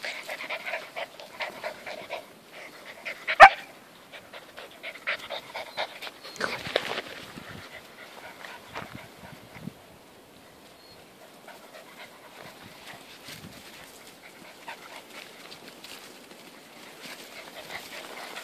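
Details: Dogs at play on a friend's farm: Alfie the whippet romping with kelpie puppies. Rapid breathy panting and small whimpers fill the first seconds, with a sharp click near three seconds, then quieter scuffling and occasional soft puffs.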